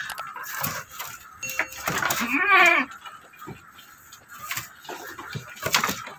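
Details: Goat on a goat farm where a doe has just delivered a single male kid; one wavering, tremulous bleat lasting about half a second, surrounded by clicks, knocks and faint talking.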